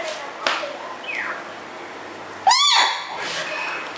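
A Shiba Inu puppy gives a short, high, rising-then-falling yelp in a quiet room.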